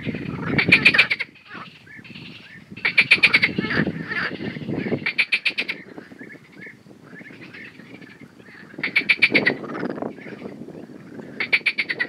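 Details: Male marsh frog singing in Romania, grey vocal sacs inflating; rattling, pulsed bursts about a second long, repeated at uneven intervals with pauses between, over a steady background of further croaking.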